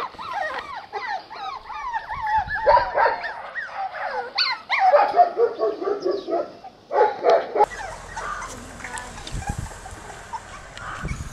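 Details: Playful yipping from one-month-old Jack Russell Terrier puppies, ten of them, on a back-yard lawn without their mother: arched whiny yips at first, then rougher squealing bursts, fading into softer scattered cries over background noise.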